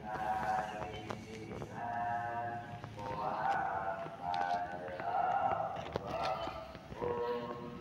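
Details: Kitten with a whiny, spoiled voice, 16 August 2024: repeated harmonic meows about once a second, each a short nasal wail, against a low rumbling background with light taps.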